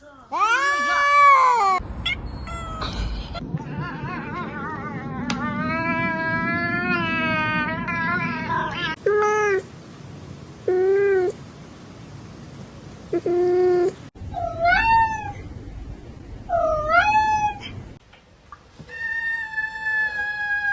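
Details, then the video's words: House cat meowing amid human chatter. A long, wobbling yowl is followed by a run of short, evenly spaced mews and then a few sharper rising meows. People's voices are heard in the background. "Different Types of Cat Meows"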